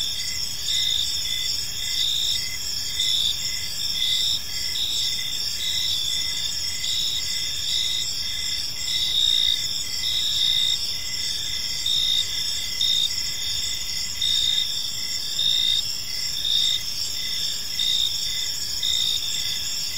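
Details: Gentle chirping of crickets at evening in a serene park: dense, high-pitched stridulation with faint rhythmic pulses, several insects calling together over steady background hiss.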